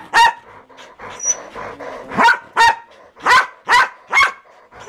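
A Pembroke Welsh Corgi barks in sharp, repeated bursts, roughly two or three per second.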